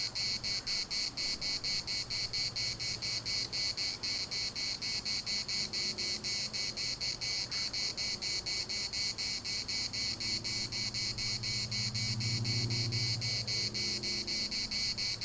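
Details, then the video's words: Cicadas in the municipal park of Larnaca, Cyprus, singing a dense buzzy chorus pulsed about four times per second, the rhythm steady throughout, with a low hum and faint other sounds underneath. "CICADAS at the municipal Park Larnaca"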